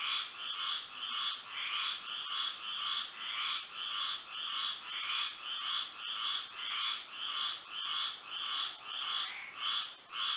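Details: Night frog chorus in Florida by moonlight, many frogs overlapping in rhythmic, buzzy croaks just under two per second, with a constant thin high-pitched drone running beneath.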